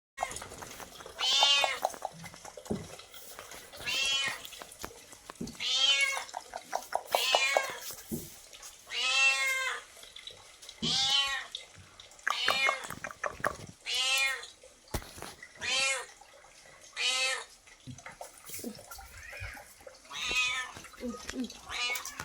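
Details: Domestic pet cat meowing over and over indoors, each meow a clear harmonic, slightly rising then falling cry, about a dozen in a row, spaced roughly every one and a half to two seconds, with faint rustling between calls.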